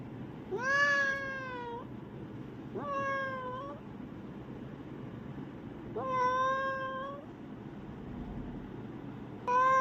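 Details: A domestic cat meowing, described as a talking cat complaining: four long, drawn-out harmonic meows spaced a few seconds apart over steady background hiss.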